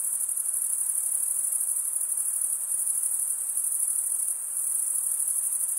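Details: Crickets, males stridulating by rubbing one wing along the toothed vein of the other, forming a steady, dense, high-pitched shimmering trill without pause, a continuous chorus with faint broadband hiss beneath.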